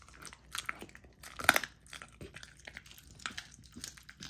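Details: Golden Retriever puppy, a young female, chewing frozen raw dog food at home; quick bursts of crisp crunching and licking, with a single hard snap partway through.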